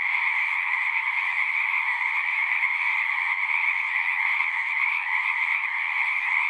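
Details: Numerous frogs calling at a pond in a horse pasture, Zoom 6 recording; an unbroken, shimmering mass of high trills from overlapping voices fills the whole stretch.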